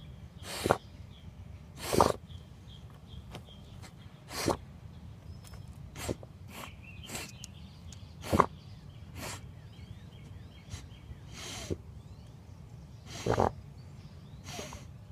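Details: Basset Hound sniffing: a series of short, sharp nasal puffs at irregular intervals, roughly one every one to two seconds, over a steady low outdoor hum with faint birds.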